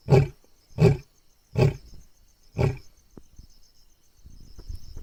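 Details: A lion, described as angry and roaring at night, gives four deep, booming grunts less than a second apart, then falls quiet.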